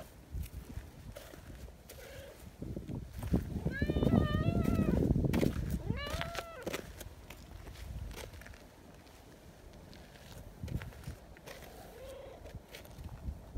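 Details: Chatty silver tabby community cat speaking up toward a person hidden behind a bench; two short meows in the middle, surrounded by footsteps, rustling and faint outdoor background noise.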